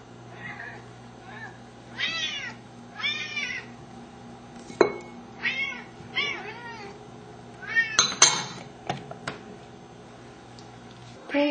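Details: Two hungry pet Siamese cats indoors, seal point Pharaoh and blue-lilac point Athena, waiting for food: a string of short, bright, arching meows at irregular intervals, with a woman talking softly to them in between.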